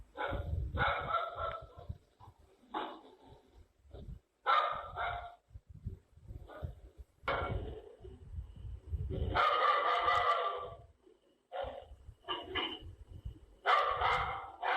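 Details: Dog barking in irregular bouts, loud rough barks with some longer drawn-out howling barks, separated by short pauses, with low rumbling background noise.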